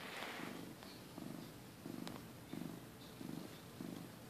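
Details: Domestic cat purring while napping, recorded in early 2015 when he was skinnier with patchy fur; low rumbling purr in regular bursts roughly every two-thirds of a second, steady breathing rhythm, faint clicks in the background.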